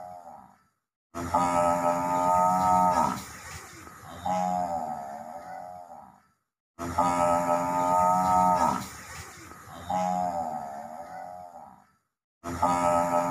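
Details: Water buffalo vocalizing: a loud, harmonic, droning bellow of about two seconds, then a weaker, undulating moan. The pair repeats after a brief silence, and a third bellow begins at the end.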